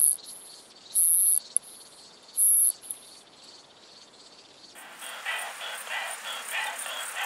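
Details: Short-tailed Plump Bush-cricket in Muhrtal, Austria, on 24 July 2022: three very high, buzzy bursts of under half a second in the first three seconds. From about five seconds a broad, grainy hiss of pulsed chirping takes over.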